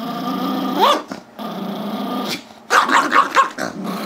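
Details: Chihuahua/Yorkie mix named Gizmo, five years old, growling and barking at his younger Yorkie brother Tigger over a squeaky toy, February 10, 2011; a long rumbling growl, then a cluster of sharp, higher barks near the end.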